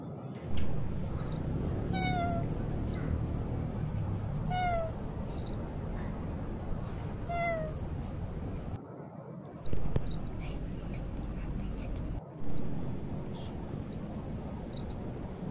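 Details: Stray cat said to have lost its voice, giving three short meows spaced about two and a half seconds apart, each a brief tonal cry sliding slightly downward, over a steady low background rumble, followed by a few abrupt thuds and quiet gaps.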